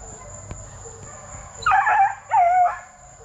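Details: Plott hound and black and tan coonhound cross puppies between 8 weeks and 5 months, at TTG Kennels: two drawn-out baying howls, the first rough and wavering, the second smoother and falling in pitch, after a quiet start.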